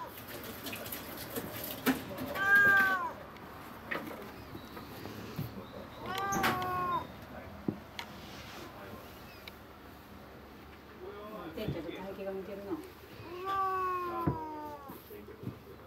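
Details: Indoor cat meowing at a white stray that uses the area around the house as its path: four or five long wavering meows spread over the recording, some rising then falling, with quiet talk and household clicks between calls.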